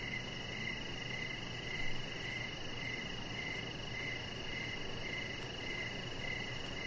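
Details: Evening crickets heard from a deck with a chihuahua puppy resting under decoration lights; a rapid, even train of shrill chirp pulses runs throughout, with a faint soft bump near two seconds against a steady background hiss.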